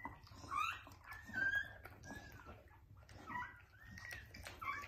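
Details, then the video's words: Pit Bull or Bully litter being born indoors, the dog's first litter: thin, high squeaks and whimpers come in short bursts over about five seconds, some briefly rising, with faint room noise. "Pitbull/Bully giving birth | First litter"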